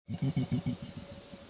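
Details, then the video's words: Niko, an adult male Bornean orangutan at Tuanan Research Station, Central Kalimantan, Indonesia, gives a fast long call at observers standing too close: a run of deep, booming pulses, five strong ones in quick succession, then softer pulses fading away. "Adult male Bornean orangutan fast long calls and kiss squeaks at observers"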